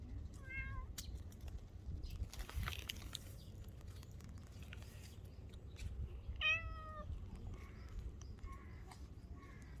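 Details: Stray cats at a park or port in Japan; two short clear meows sound, the second louder and slightly falling, over a steady low background rumble with faint rustling.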